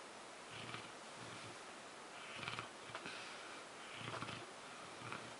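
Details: Zues, a sleeping French Mastiff, snores softly: low rumbling snorts with breathy exhales come in a slow, uneven rhythm, about every one and a half to two seconds, over a steady background hiss.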